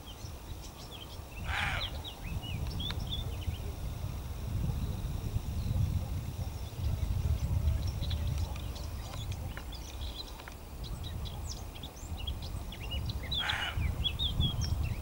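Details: Roe deer bucks, two of them, barking at dawn near Gijón to tell observers they are unwelcome; two hoarse barks roughly twelve seconds apart over steady low wind rumble and scattered bird chirps.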